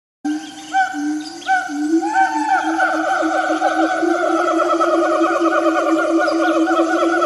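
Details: A siamang in the forest calls with full, ringing whoops, a few slow rising notes at first. They quicken into a fast, steady, wavering series of bouncing hoots that carries on without pause.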